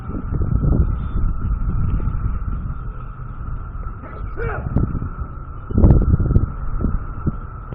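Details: A steady, high droning chorus of locusts hums without pause over low rumbling background noise in Goochland, Virginia.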